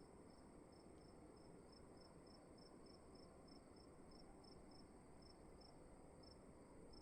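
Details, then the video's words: Cricket calling indoors in a dark room at night: short, high, bright chirps repeated steadily about two to three times per second, over a constant low hiss and hum of room noise. "Sound of emptiness and crickets in the room"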